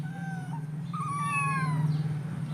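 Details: Hungry kitten crying for food at breakfast: two faint meows, then a longer clearer meow that rises and trails off, over a steady low mechanical hum.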